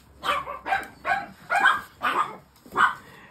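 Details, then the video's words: Female Shih Tzu, indoors and shut in a cage, going wild because she wants to go after castrated chihuahuas. Six sharp, high barks follow one another about every half second, with quiet pauses between. "Bon, je suis désolée pour ce que vous entendez, mais c'est ma Shih Tzu qui est en folie."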